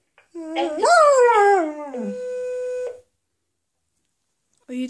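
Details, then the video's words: Dog responding to an answerphone message indoors: a rising then slowly falling howl, followed by a steady electronic beep tone and silence. "Dog talking to the answer phone"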